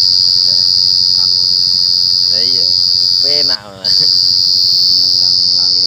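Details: Cricket chirping, a continuous piercing high-pitched ringing trill held steady throughout, briefly cut off for a moment; human voices murmur in the background and low hum underneath.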